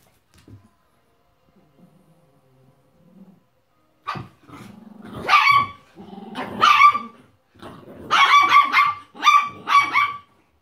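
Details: An Italian Greyhound puppy visiting Chiki, a miniature pinscher–chihuahua mix, the pair just waking beside each other; near-silence with faint shuffles gives way to rising growls, then a quick run of sharp, raspy barks at the end.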